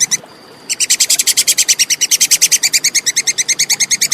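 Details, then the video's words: Plantain squirrel (tupai kekes) calling clearly, used as tutor material for competition songbirds: after a brief thin tone, a fast, even series of sharp, high clicking chips, about eight per second, runs without a break. "SUARA TUPAI KEKES JERNIH"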